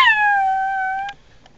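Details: Little pugs inside a car, defending their territory against possible predators; one drawn-out, clear whining howl holds steady for about a second, sliding slightly lower before cutting off, followed by faint clicks.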